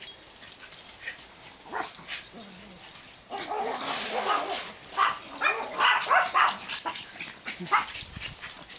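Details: Dogs at play in a backyard, including Max, the black one, with Ewok, recorded 8-22-10; bursts of high yips and short growly barks come irregularly and quickly, with scuffling and a steady high hiss underneath.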